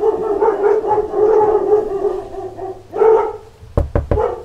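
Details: A pack of dogs barking at knocks on a door: drawn-out, tonal, howl-like voicing for over two seconds, a fresh loud burst near three seconds, then three sharp knocks near the end, each followed closely by a short bark.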